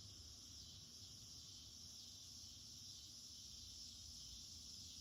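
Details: Summer garden cicada chorus in August, heard throughout the day: dense, even high-pitched buzzing that never pauses, with some low-frequency hum underneath.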